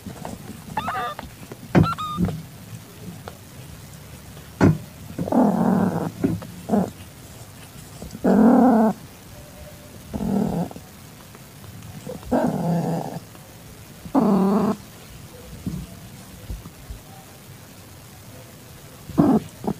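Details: Calitabby domestic cat in heat, recorded on 8 September 2021 at 6:30 PM while accepting a very young calico kitten. It gives a series of drawn-out, harmonic yowling calls of about one second each, spaced a few seconds apart, with quiet gaps and light knocks between them.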